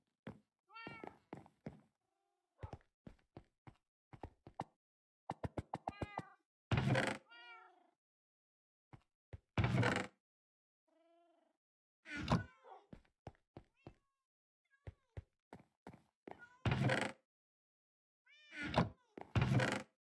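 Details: Persian cat on arrival in Hanoi, Vietnam, after hours of travel: faint, repeated meows scattered among frequent loud knocks and thumps, like handling of a carrier.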